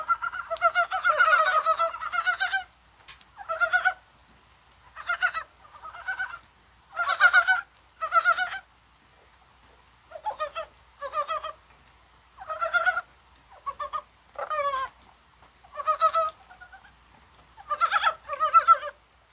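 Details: Dybowski's brown frogs heard in rain on a mild 21 January, thought to be spawning; after a long opening burst, rasping croaks follow as distinct clusters about every second.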